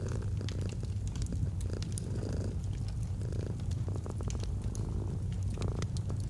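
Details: A purring domestic cat by a fireplace in cozy autumn ambience: a dense low-pitched rumble, gently surging with breaths around two and three seconds, with bursts of crackling fire pops later on.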